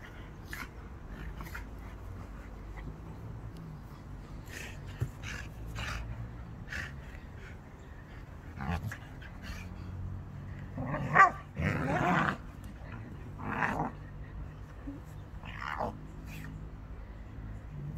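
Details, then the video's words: Staffordshire Bull Terrier at play, with panting and low huffing through most of the stretch and a few short, louder growly whines and grunts around eleven to sixteen seconds; faint clicks and rustles in the background. "Staffordshire bull terrier play"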